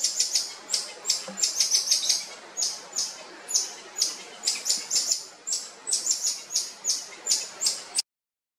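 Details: Wied's black-tufted-ear marmoset on Comandatuba Island, Bahia state, Brazil, October 2023: very high, sharp chirping notes given in quick uneven bursts, several per second, then stopping abruptly.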